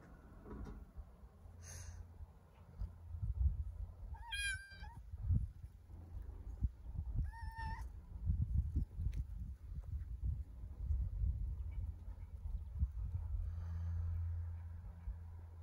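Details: Stray female kitten, homeless, sitting, giving two short high-pitched meows several seconds apart, with a faint squeak before them, over steady low rumbling background noise.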